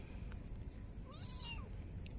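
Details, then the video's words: A kitten sitting on a blue plastic chair gives one drawn-out meow that rises, then bends down and trails off over about half a second, with a steady high chirring of insects running throughout. "The kitten meowing on the blue chair"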